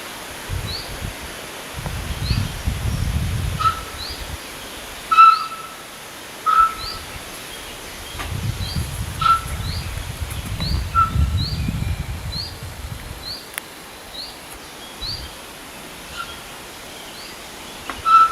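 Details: Lost-sounding roe deer fawn calling to its nearby mother: a series of short, piercing whistled peeps, irregularly spaced, over bursts of low wind rumble, with a small bird's thin rising chirps repeating in the background.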